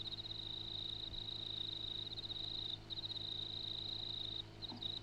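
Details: An insect on the ground in the Grenfell district of New South Wales, Australia, calls with a steady, high-pitched pulsing trill that runs almost without a break.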